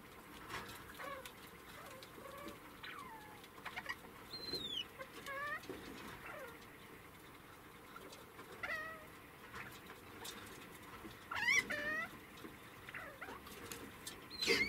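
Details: A pet degu (Octodon degus), one especially attached to its food, gives quick, sweeping squeaks and chirps while defending its food from others.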